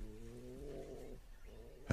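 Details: Lion mother raising cubs whose demands grow as her milk dries up, pushing on through searing heat and humidity toward a buffalo herd; a single low, drawn-out harmonic moan lasting about a second, then a softer trailing grunt.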